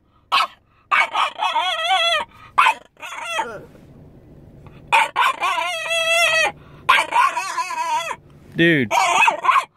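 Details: French Bulldog, upset when his owner went into a store, gives long wavering whining howls in several drawn-out bursts separated by short silent gaps. Each burst is loud and tonal, bending up and down in pitch.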